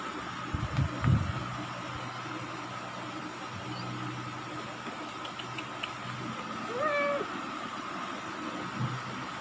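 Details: Indonesian village kitten, twenty days old, one of four black-and-white and white littermates born in an attic; a lone drawn-out mew near seven seconds, slightly falling in pitch, after low knocks and rustling against a constant hum.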